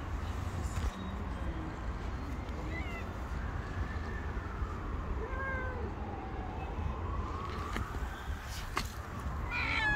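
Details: Tabby stray cat with her gang of street cats gathering around and demanding food; drawn-out wavering meows rising and falling, several overlapping short mews, over steady low traffic rumble and a few clicks.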